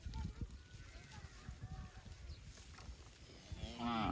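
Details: Cow mooing, from a set of cow sounds where calves and mother cows call to each other: a short harmonic moo rises at the very end after several seconds of low rumbling and faint tonal calls.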